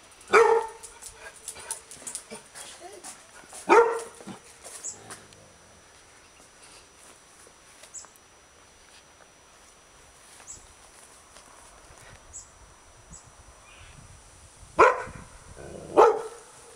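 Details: Female Labrador Retriever barking while defending her territory: two loud, sharp barks near the start, a long quiet stretch with faint ticks and light background sounds, then two more forceful barks close together at the end.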